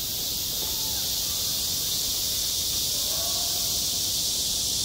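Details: Cicadas droning on a school playground in high summer: an even, high, hissing buzz throughout, with a couple of faint sliding whistles in the background.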